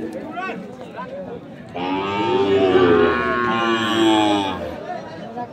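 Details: Sahiwal bull calves for fattening at the Ambari cattle market, Parbatipur, Dinajpur, on 10 February 2025; after about two seconds of people talking, one long wavering moo lasts nearly three seconds, with murmuring voices continuing behind.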